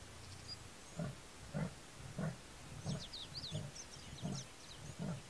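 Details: Male leopard recorded by a trail camera at Mbusi Waterhole on the Limpopo-Lipadi reserve at dawn, calling territorially after drinking. Deep, hoarse sawing strokes repeat about every 0.65 seconds, seven in a row, with birds twittering in the background.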